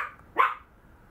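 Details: Maltese puppy giving a single short, sharp yip in a quiet room.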